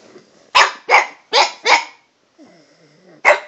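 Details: Dog addressing a cat with a string of barks at different pitches: four rapid, harsh barks, then a soft, wavering whine-like murmur, then one final loud bark.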